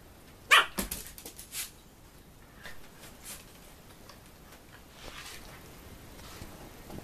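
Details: Schnoodle, a Poodle and Schnauzer hybrid dog, gives one sharp, loud bark near the start, followed by a few softer short yelps and taps before quiet settles over a still indoor room.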